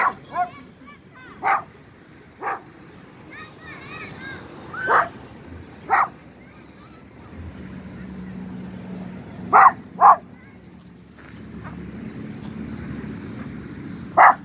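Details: A pinscher almost two years old, out on a walk in a small square near home, barks after sniffing something: sharp single barks at irregular intervals, with a person's voice and laughter in between.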